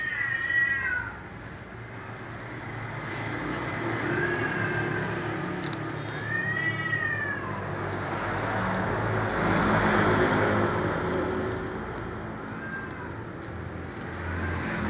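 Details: A cat meows near a black cat eating fried fish; several short arched meows spaced a few seconds apart, mixed with a broad noisy rumble in the middle and low background hum.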